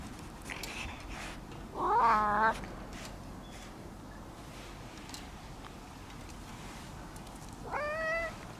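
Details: An orange-and-white cat at a cat temple meows as it runs up to greet visitors: two clear, rising-then-falling meows, one near the start and another several seconds later, over quiet background hiss.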